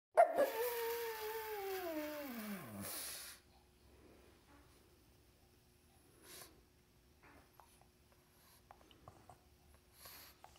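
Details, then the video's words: Elderly female pug, deaf and mostly blind, howling like a wolf indoors; one drawn-out howl for about three seconds, starting high and sliding steadily downward, followed by quiet room noise with faint soft sounds. "Crazy pugwolf howling"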